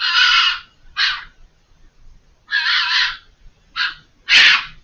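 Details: Screaming fox concealed behind a hedge, calling for over five minutes; loud, harsh, drawn-out shrieks alternating with shorter rasping ones, five in under five seconds, the last the loudest.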